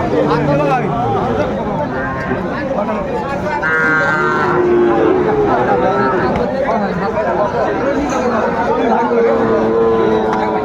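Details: At a Sylhet cattle market on 29 June 2024, Sahiwal bull calves give repeated lowing moos, some long and level, others rising, mixed with voices and general market bustle.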